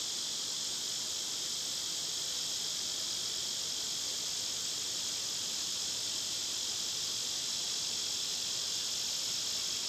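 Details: Loud summer cicadas recorded outside among birds and squirrels; an unbroken high, sizzling buzz fills the whole stretch with no breaks.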